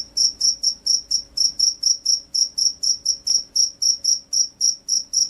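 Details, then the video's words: A vigorously singing (gacor) field cricket, jangkrik sawah, gives loud, shrill chirps in a steady train, nearly four per second, each chirp a brief ringing pulse, with only a soft background hum. "SUARA JANGKRIK SAWAH"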